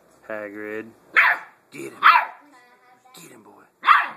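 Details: Blue Great Dane puppy Hagrid, seven weeks old, attacks a toy pig he first shied away from. A human voice sounds first, then high, harsh yaps spaced about a second apart, with a short tonal squeak between them.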